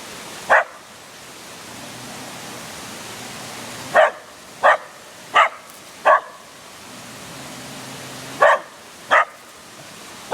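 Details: At Yasui Valley, Kochi, Japan, a dog barks at a statue, giving short sharp barks singly and in quick pairs with gaps of a few seconds, over a constant rush of water-like noise.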